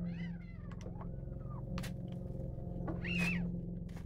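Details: Greedy kitten guarding its food, letting out a rising-then-falling meow at the start and a louder, harsher drawn-out cry near the end, over a constant low hum.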